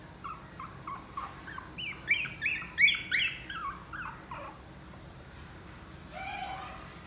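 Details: A Chihuahua puppy at a pet shop gives a quick run of high, squeaky yips, then a drawn-out whine.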